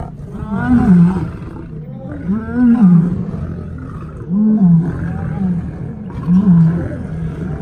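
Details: A lion on its first day in a new place, walking the perimeter, gives four deep, loud moaning calls that rise then fall, spaced about two seconds apart, with human voices in the background.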